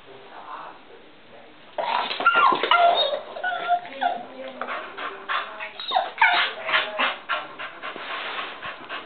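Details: Excited female pet dog barking and playing indoors because she wants to go into the other room where visitors and a baby are; quiet at first, then rapid yipping barks and whines, about three to four per second.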